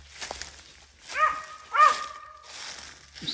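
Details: Family dogs barking at squirrels they have treed, outdoors near a dry creek bed in north Alabama on 19 November 2023; two distant, clipped barks half a second apart, with footsteps and rustling.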